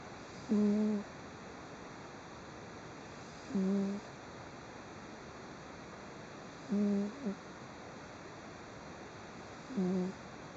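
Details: Soundly sleeping house cat, filmed 3 June 2011 while twitching a little, snores in short low hums with faint overtones, four evenly spaced snores roughly every three seconds, otherwise near silence indoors.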